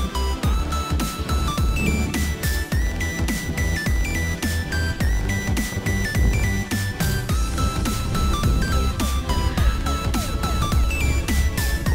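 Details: Loud electronic music with a heavy, steady bass beat and bright synth notes runs throughout, with no animal sounds.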